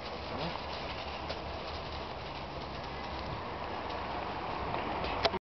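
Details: Continuous outdoor rumble and hiss with a sharp knock near the end, no animal calls.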